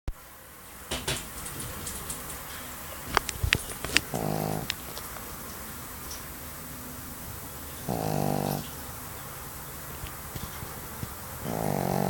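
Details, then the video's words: A sleeping Pekingese dog snoring: three drawn-out, rough, low snores, each under a second, spaced about four seconds apart, with faint clicks and rustling between them. "snoring dog - 3 - pekingese"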